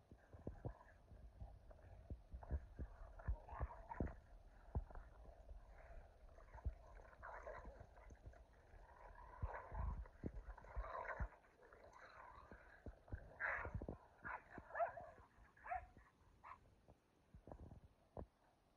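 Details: Two dogs, Kumo the Keeshond and Sully the Boston Terrier, playing tug in the snow: rough, rumbling growls come in uneven bursts, some rising into brief strained whines, with soft thuds and scuffling throughout.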